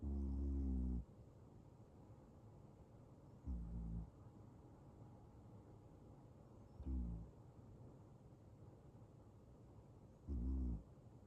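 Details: Male Ragdoll cat in deep sleep, which only occasionally brings on snoring: four short, low, rumbling snores spaced roughly every three and a half seconds, each under a second long, with quiet room background between them.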